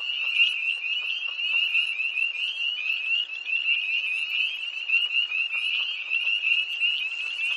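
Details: Early-season tree frogs at a North Carolina pond near Hillsborough, recorded at night on 1 March 2011: a thick wall of high, rapid trilling notes from numerous callers, rising and falling slightly in loudness without pause.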